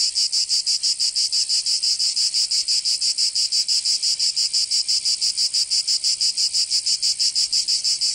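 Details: Summer cicada chorus from Provence in the south of France, a loud, even, high-pitched rasping drone pulsing in a very regular beat of roughly three pulses each second, nothing else audible.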